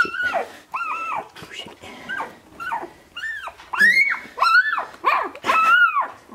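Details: Sixteen-day-old Shiba Inu puppies, litter of Ichi and Hime, March 2017, cry in a string of high arching whines and squeals, some wavering, coming irregularly and louder in the second half, indoors.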